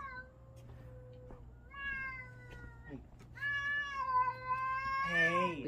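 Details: Indoors, a domestic cat yells at another cat in a string of drawn-out meows that grow louder and more strident, ending in a harsh wavering yowl, while a woman talks soothingly and a low hum runs beneath.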